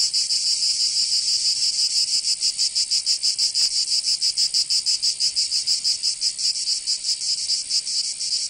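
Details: Cicadas in summer in Provence, southern France, singing together: a high, rasping drone with a looser pulse of about one beat per second, the throbbing growing clearer midway, nothing else audible.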